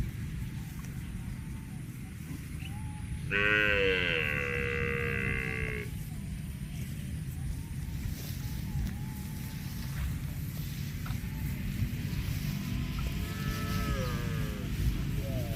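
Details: Grazing cow lets out a loud, drawn-out moo lasting about two seconds, rich and droning with a slight upward bend, followed much later by a fainter short moo, against steady low-pitched background hum.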